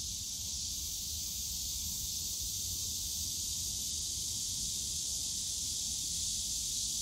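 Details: High, hissing wall of cicada song on a summer day among the bamboo of Yongsan Family Park, unbroken and steady, growing a little louder toward the end, with muted low background noise.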